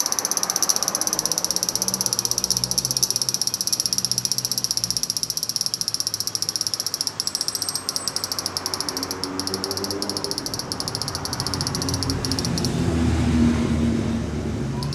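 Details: Fukuoka, Japan: a steady high metallic cicada drone with a fast pulsing texture runs for about twelve seconds, then cuts off, leaving low background rumble and faint other sounds.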